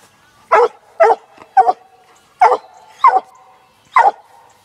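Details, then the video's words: Female Black and Tan Coonhound aged six months following a laid coon trail, letting out six loud, sharp barks at roughly half-second intervals, each short and ringing, on a quiet background. "Black n tan coon hound working coon trail"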